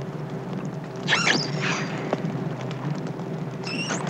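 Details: An isolated young female common dolphin calls at night, about 4 miles from the ship, giving brief high whistles, one wavering and one steady, over a low steady hum.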